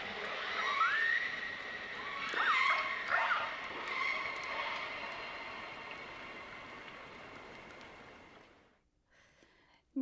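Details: Killer whales call underwater in deep fjords, giving rising whistled tones around two kilohertz. Each call is trailed by a fainter echo bouncing back off the fjord walls.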